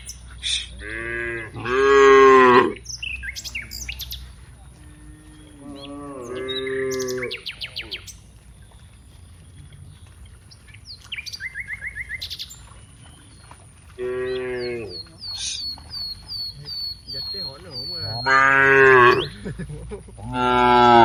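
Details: Dozens of cows walking from the rice fields to the village, lowing repeatedly; several drawn-out, rich harmonic moos, some rising and loud, spaced through the clip, with birds chirping and a steady high whine in the background.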